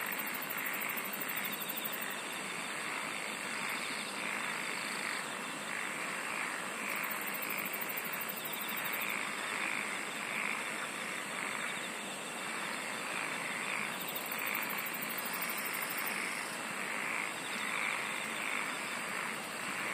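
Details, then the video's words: Insect chorus with constant high shrilling, several separate bouts of extremely high rapid pulsed trills, and repeated short chirping notes in the middle range, all at an even loudness. "SINGING OF INSECTS"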